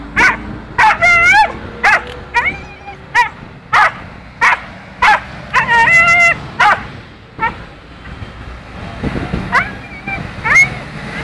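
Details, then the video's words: Dog crying out in fear of the sea, its call heard as "anne" (mum): loud wailing yelps and sharp cries in quick bursts about every half second, some long and tonal, with men talking and laughing nearby. "Anne diyen köpek"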